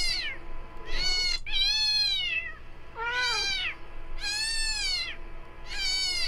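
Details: Meowing from a household pet cat during playback of a sound said to always attract cats: five arched, tonal meows of varying length in about six seconds, one notably lower and shorter, against a quiet indoor background.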